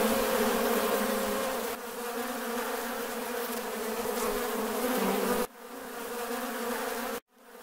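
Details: A dense, steady hum of many western honey bees (Apis mellifera) buzzing together at a bee farm, with a low droning pitch.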